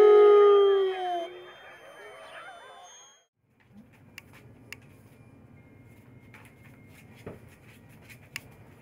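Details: Wolves at Wolf Park in May 2010 give a loud, sustained howl with a slightly falling tone and overlapping voices for just over a second, then fade into a quieter wavering chorus before near silence with faint clicks.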